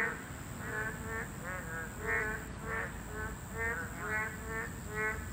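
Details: Boreal digging frogs, a protected Class 2 species, calling at their breeding site. Nasal, slightly rising croaks come about every half second from several frogs, some alternating. A steady high whine and low background noise are also present.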